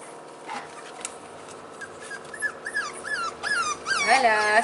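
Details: Four-week-old Staffordshire Bull Terrier puppies recorded on 19 March 2020: a series of high, wavering whimpers and yelps that grow louder and more frequent, with a woman speaking in French.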